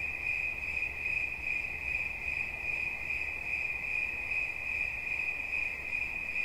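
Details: A cricket keeps up a continuous shrill trill, its bright tone pulsing gently in quick succession, with a faint low rumble underneath.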